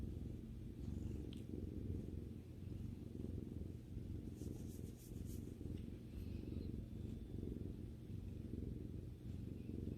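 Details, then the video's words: Indoor domestic cat purring as it relaxes with its owner, a continuous low throbbing rumble that swells gently with each breath, with faint high rustles partway through. "さくらさんのゴロゴロ音を聴きながらまったりする動画 Video that relaxes while listening to the cat's rumbling sound"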